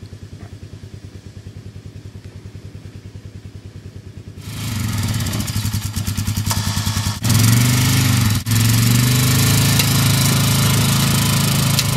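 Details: A motor engine idles with a rapid pulsing throb, then revs louder and accelerates, with no animal voices heard.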